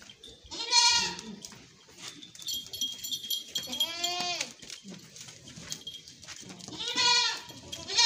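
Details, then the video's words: Beetal goats bleating: three loud, wavering, harmonic-rich bleats spaced about three seconds apart, the middle one bending downward, with faint high chirps and low rustling between calls. "Beetal Goats"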